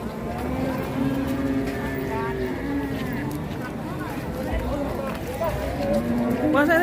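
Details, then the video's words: Raging cattle give repeated low, uneven moos that rise and fall across several seconds. Voices and a passing vehicle can be heard in the background. "SAPI NGAMUK"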